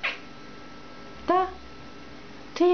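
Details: Mitzura, a domestic cat that "talks" with its owner, gives two short, arching, harmonic meows roughly 1.3 seconds apart in a quiet room, with a faint steady hum underneath.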